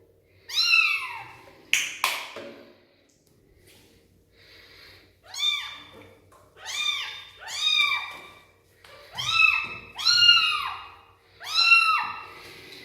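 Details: Rescued street kitten, found without her mother, meows repeatedly right after her first bath, which she did not enjoy; about eight loud, arched, harmonic meows, some in quick pairs, with a sharp knock early on, indoors.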